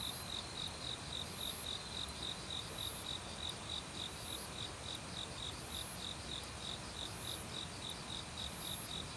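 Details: Crickets calling in autumn woodland among many other insects, having started loudly a week earlier; rapid even chirps repeat several times a second, overlaid by periodic shrill buzzing bursts and constant valley stream rush.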